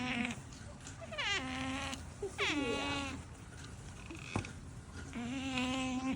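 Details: Otters giving heart-melting whining calls: harmonic, nasal wails that sweep downward, in bursts near the start, middle and end, with one sharp click between them and steady low background music beneath.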